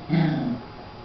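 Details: Four- to five-week-old puppies playing indoors give one brief, low harmonic growl lasting under half a second, starting loud and fading quickly into quiet room noise.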